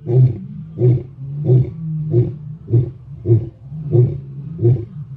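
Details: Morning lion roar, closing grunt sequence: eight short, deep, pulsed grunts repeated steadily roughly every two-thirds of a second, strong and low-pitched over a quiet background.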